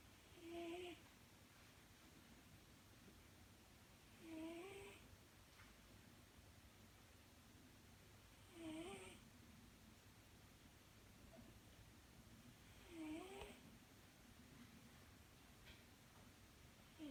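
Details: British Shorthair cat snoring in its sleep indoors: a short squeaky, slightly tonal snore with an airy hiss, repeated roughly every four seconds, four times, over quiet room background.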